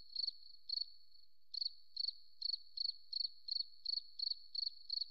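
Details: Cricket in a forest: short, high, steady-pitched chirps, each a quick burst of three or four pulses, repeated about three times a second, with a brief pause near the start; no other sounds.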